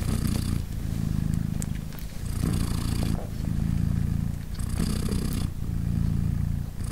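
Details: Nursing mother cat Polina, a British Shorthair, purrs to her three tiny kittens three days after birth; low throbbing purr in loud stretches broken by quieter breathy inhalations every couple of seconds, a few soft ticks.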